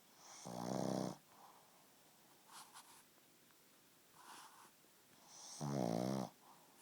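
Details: Two heavy, rumbling pug snores about five seconds apart, each under a second, with soft airy breaths in between.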